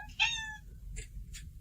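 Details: Pet cat gives a single short, bright meow, quickly rising then fading, followed by faint soft rustles in a quiet room.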